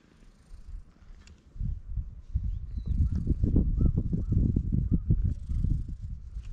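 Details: Island stray cat outdoors under clear skies, giving a steady, low purr in rapid rhythmic throbs that strengthen after a quiet start; faint short chirping notes sound in the background.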